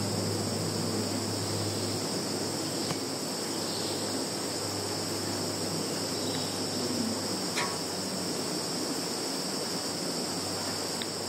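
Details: Field insects in Kaluga region, Russia, recorded by phone on 11 September 2019: continuous high-pitched ringing drone with soft broadband hiss and a low steady hum underneath, plus a brief click partway through.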